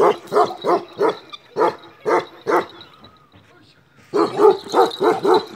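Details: A black male Kashmiri Eksaya, a Himalayan livestock guardian dog, barks ceaselessly in quick, deep, repeated bursts, pausing briefly before barking again.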